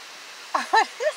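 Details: Basset Hound named Stanley Waddles, worried during his first car wash, gives three short whining, talking-like sounds in quick succession, each a brief bending whimper, the middle one strongest, against a quiet background.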